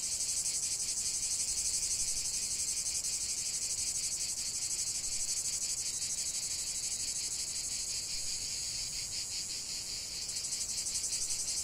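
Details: Massed cicadas sing a loud, high, rapidly pulsing buzz that eases slightly toward the end, then surges again.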